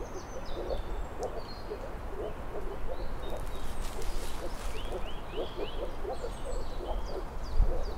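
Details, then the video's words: Moor frogs call steadily in a soft, low, bubbling chorus of repeated overlapping pulses. Birds add scattered rising whistles and high chirps, and a brief knock sounds near the end. "Barjanska žaba (Rana arvalis)"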